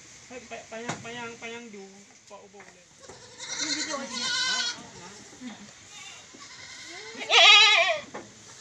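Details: Village-raised goats kept as livestock in Indonesia: several wavering bleats, some short and stacked, one loud high quavering bleat near the end, mixed with other goats calling and a few clinks.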